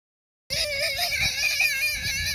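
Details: Red Wattle hog being wrestled onto a man's shoulder on a farm. After half a second of silence comes a steady, high, whining squeal with wavering harmonics that lasts about two seconds.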